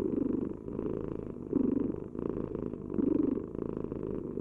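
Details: A house cat purrs in a close, even rumble of rapid pulses, with stronger swells near the start, at about 1.6 seconds and again near 3 seconds, following its breathing.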